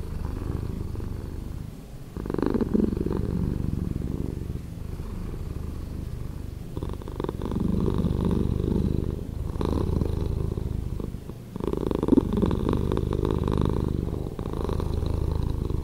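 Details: Long stretch of a cat's slowed purring: a rumbling pulsed drone that pauses briefly near two and eleven seconds, each break followed by a fresh louder surge of the same deep, grainy vibration.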